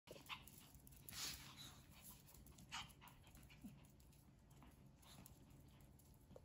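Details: Pet Spitz dogs having fun give short, sharp yips and barks at irregular intervals, with panting between bursts.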